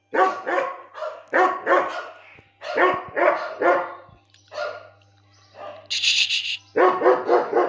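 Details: Repeated loud barking from a 17-month-old German Shepherd in Lucknow, coming in paired and grouped barks, with a short high-pitched squeak or yelp partway through and a low hum underneath.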